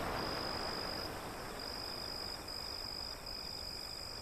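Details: Continuous high-pitched cricket trill, rapidly pulsed and briefly dipping in places, heard over broad surf noise from waves beyond an alley.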